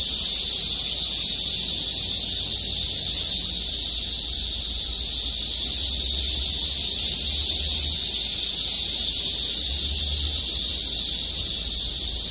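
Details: Many cicadas singing together in trees above a parking lot at Gwangmyeong City Hall, South Korea, make a steady, piercing buzz that never pauses, with faint low rumbles beneath around the middle and end.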